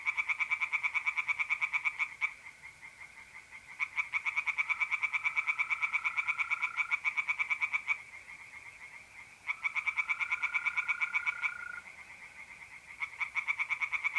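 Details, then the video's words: Tree frogs calling from a pond by night in mid-April, north-east Italy. Fast rattling pulses come in runs of several seconds with short pauses, while mole crickets keep up a continuous high trill. "relaxing singing tree frogs in pond and trilling mole crickets by night"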